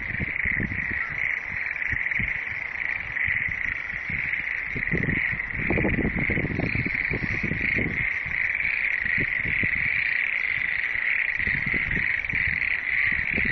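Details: Chorus of frogs, many voices merging into a steady, unbroken high trilling drone, with scattered low knocking bursts clustering around the middle of the recording.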